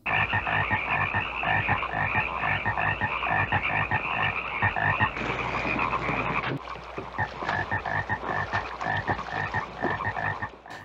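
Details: Pacific chorus frogs (Pseudacris regilla) in the Willamette Valley, Oregon, where they call in late winter and spring, often from sunset, fill the air with a fast, overlapping chorus of two-part ribbit calls.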